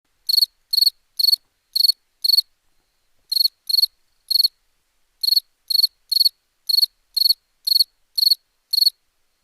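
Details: Crickets at night, apparently in India, give short, high, pulsed chirps in a steady series, about two each second.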